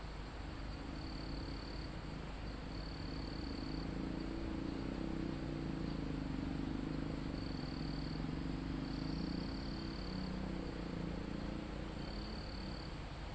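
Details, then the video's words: Cricket trills pulse intermittently in high, shrill bursts of under a second to a second in a mountain forest near the summit, while a low droning hum swells midway and a steady wind hiss fills the background. "Calm Forest in Mountain With Crickets, Insects Sound"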